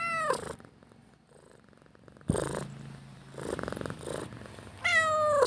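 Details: Domestic cat wanting food opens and closes with clear falling meows, while the middle holds a soft, rapidly pulsing purr with breathy bursts.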